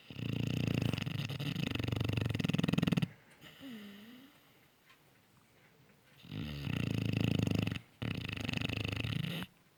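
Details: Sound asleep, a Cane Corso puppy snores loudly in rattling, low, fluttering bursts several seconds long. Quiet gaps between them carry a small whimper and soft breathing.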